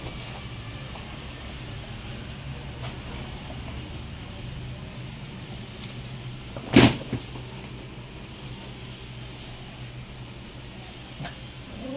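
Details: Low hum of room or vehicle noise with a single sharp knock or door bang, a few faint clicks and no animal calls.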